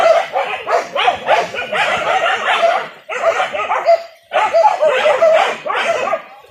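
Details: Indonesian village dogs on a wild boar hunt using dogs and spears bark and yelp excitedly in rapid overlapping bursts, with two short breaks around three and four seconds.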